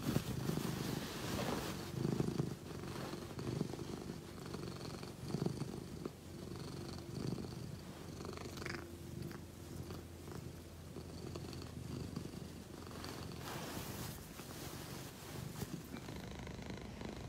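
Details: Leo, a pet Egyptian Mau, purring in low rhythmic pulses that swell and fade with each breath, with faint handling noises and a short higher scrape near the middle.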